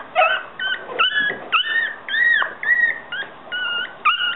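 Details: Yorkshire Terrier pups squeal in short, clear whines, several rising then dropping in pitch, repeated roughly twice a second with brief pauses between.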